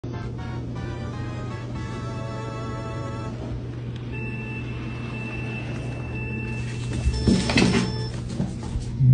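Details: Music and a steady low hum play, with a few thumps near the end, and no animal is heard.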